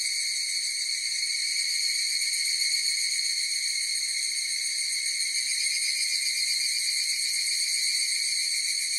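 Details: Higurashi cicadas in chorus, a steady shrill high-pitched ringing with a fine rapid pulsing texture that holds without a break for the whole stretch; no other animals or voices.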